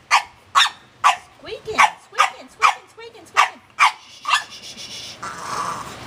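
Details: Pet dog Penny gives a rapid run of sharp barks, roughly two per second, each followed by a short sliding whine, as another dog named Ruby licks her owner; the barking stops and a softer noisy hiss follows at the end.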